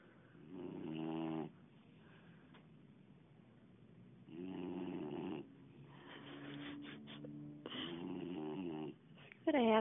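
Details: Boxer dog snoring in its sleep: three rumbling, droning snores separated by quiet stretches, with a person's voice and a brief higher sound near the end.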